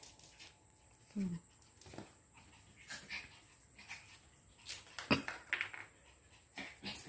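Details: A Jack Russell and a Lhasa Apso squabble with short snarling growls and yelps in quick, irregular bursts.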